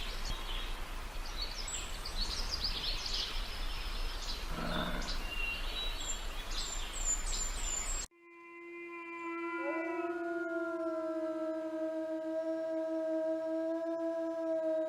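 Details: Wolf roaming the open steppe: after several seconds of chirping birds and hiss, a sudden cut brings one long steady howl, a clear even tone with stacked overtones that rises slightly and holds for about seven seconds.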